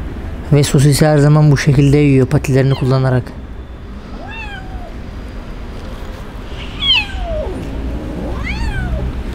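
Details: Abandoned kitten crying in the street after its owner left it: a man speaks loudly at first, then three thin, high meows follow, each sliding upward and falling away, spaced a couple of seconds apart over traffic hum.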